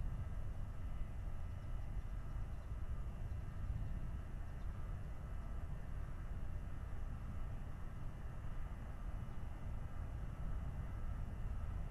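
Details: Steady low rumble of wind or distant engine noise throughout, with no animal calls heard.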